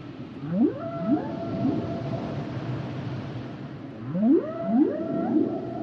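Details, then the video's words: Humpback whale song phrase: three quick swooping upsweeps that bend into level tones, heard once and then repeated almost identically about four seconds later, over soft underwater hiss. "Sounds and Songs Of The Humpback Whales"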